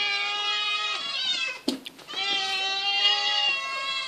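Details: Eight hungry domestic cats eating fish indoors, giving loud, insistent meows. Clear harmonic meows overlap and repeat almost without a break, with a short scuffling noise midway through.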